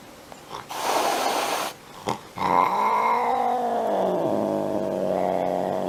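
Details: A cute pet cat hisses in a rough one-second blast, pauses, then slides into a long steady growl that bends downward.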